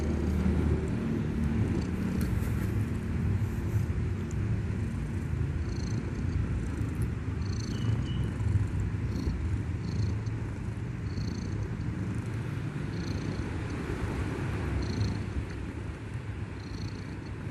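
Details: A baby cat snores heavily in its sleep, a continuous deep, rough rumble with uneven pulses, holding steady before easing off slightly near the close, with faint high whines in the background.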